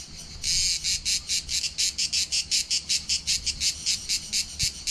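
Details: Cicadas sing on a July 2020 summer day at Palaiokastritsa, Corfu, Greece, with a harsh, buzzy song pulsing rapidly in steady, high-pitched bursts.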